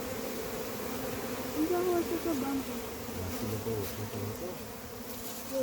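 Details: Honey bees from a massive wild hive being caught, a dense, steady droning hum of many bees throughout, with a few brief higher buzzing tones from individual bees passing close and faint voices beneath.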